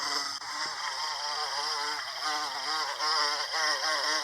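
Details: Bombus pensylvanicus, the American bumblebee, pollinating Salvia clevelandii. The hum is rich and harmonic and wobbles in pitch, swelling slightly louder toward the end of this short stretch.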